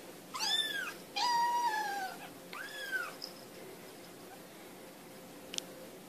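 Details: Kittens playing, three clear meows in quick succession, the middle one longest and steady, then quiet room noise and a faint click.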